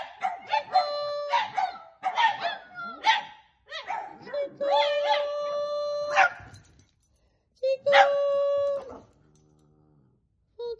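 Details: Singing dogs give choppy yelping howls that settle into longer, steady tonal notes, then a final held howl before near silence and a faint low hum.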